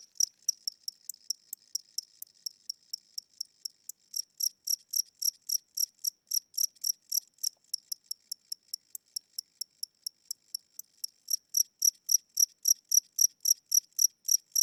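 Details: Old, tired-seeming cricket inside a house at night, wings weakening, chirping at a slow tempo: high, thin pulses about four per second with two brief pauses, growing louder toward the end.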